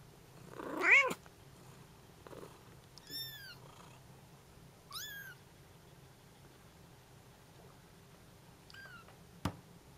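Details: Bengal kittens and their mother calling to each other as she returns from a short walk: a loud lower wailing mew, then several thin high kitten mews, a sudden click near the end, quiet background.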